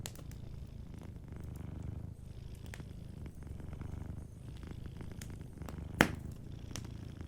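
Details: Gently purring cat asleep beside a cozy fireplace. A low, even rumble carries through the whole stretch, with light crackles and one sharp snap from the fire around the sixth second.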